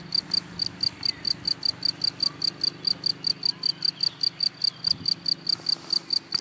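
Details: Cricket in grass giving a continuous run of sharp, high-pitched chirps, each a short trilled pulse, repeated roughly two and a half times per second, with faint low background noise.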